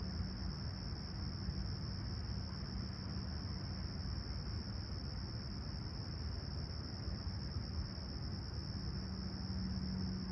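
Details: A continuous shrill cricket trill on a serene summer sunrise at Toronto's Humber Bay Shores on July 28, 2020, at 20ºC, steady for all ten seconds over loud low rumbling and a faint humming tone.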